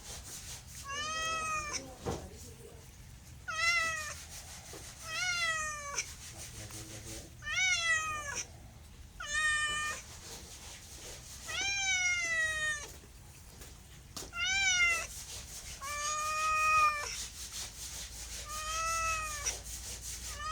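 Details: A house cat repeats short rising-then-falling meows roughly every two seconds, around nine in all, with faint low background hum and soft clatter.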